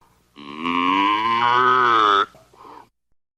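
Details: Cow moo: a single sustained, fairly high, nasal bellow held steady for nearly two seconds, ending abruptly, followed by a faint short grunt.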